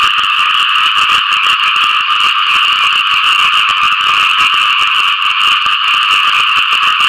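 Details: After rainfall, frogs call for mates in an unbroken chorus. Many overlapping rapid croaks merge into a loud, even, buzzing wall of sound.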